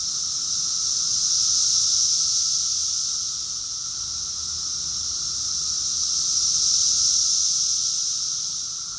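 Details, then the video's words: Cicada chorus recorded in June 2021 in Rockville, Maryland, USA: a dense, steady high-pitched hiss that swells and fades in slow waves, with a fainter, thinner whine running beneath it and no other clear sounds. "Cicadas song || Cicada's chorus song"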